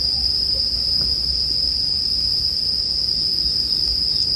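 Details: Bell crickets keep up an unchanging high, metallic ringing over a soft low murmur, with a bonfire almost silent, for restful sleep listening.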